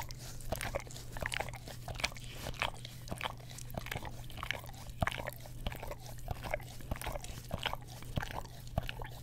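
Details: Pet dog, an English Cream Golden Retriever, licking an Orapup tongue cleaner brush next to a Blue Yeti microphone indoors; crisp, bright smacking licks repeated about one and a half times per second over a faint low hum.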